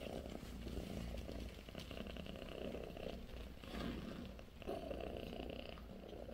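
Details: A low, continuous rumbling purr from British Shorthair cats, mother Bassy with her four kittens. The purr is steady throughout with a faint pulsing grain and a soft broadband hiss above it.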